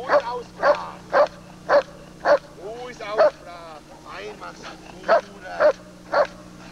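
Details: German Shepherd Lord v. Gleisdreieck DDR, a working dog, in 1995 home footage recorded off a TV screen, barking in a steady series of sharp, harmonic barks about twice a second, broken by a brief stretch of human speech.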